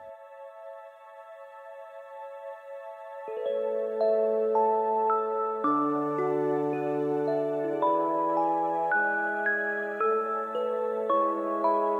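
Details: Quiet opening, then gentle chiming glockenspiel-like lullaby music with a soft bass line; no animal voice heard.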